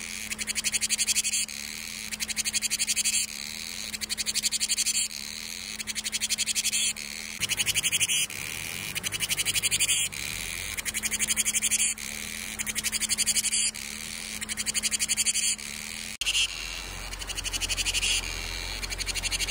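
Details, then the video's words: Cicada singing to herald summer: rhythmic bursts of fast, ratcheting pulsed buzz, each about a second long and repeated steadily, with a faint low steady hum underneath for part of the recording. "Tiếng ve gọi hè | Tiếng ve sầu gọi hè"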